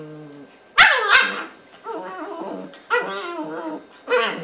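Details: Two puppies, a brown Newfoundland and a Maltese, chewing on each other in their bed; sharp yelping barks break into whiny, wavering growls in short bursts every second or so, with a sudden click near the start.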